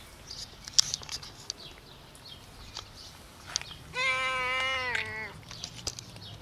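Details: Stray cat, one of four frightened homeless cats fed outdoors, utters one long steady meow lasting over a second, flat then slightly falling, amid scattered clicks, faint bird chirps and outdoor ambience.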